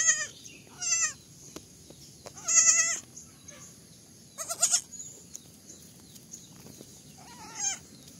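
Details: Young goats give a run of five high, shaky bleats, each lasting under half a second and spaced unevenly across the stretch, with near silence in between.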